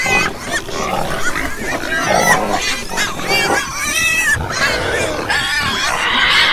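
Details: Farm pigs in a group, overlapping nasal grunts and high harmonic squeals, some bending upward and downward, with a shrill rising squeal near the end over a busy background of snorting.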